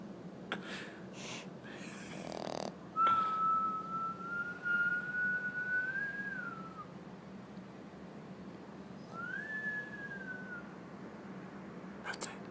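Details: Sleeping female baby French Bulldog snoring indoors: a long, thin, whistling note lasting about four seconds, drifting slightly upward before dropping, then a shorter whistle a few seconds later. Soft rustles and clicks come between them.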